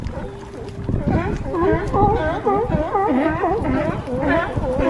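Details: Several California sea lions hauled out on a harbor dock at Crescent City, California, giving overlapping hoarse, arching barks in rapid irregular succession, with a low rumble of water and harbor noise beneath.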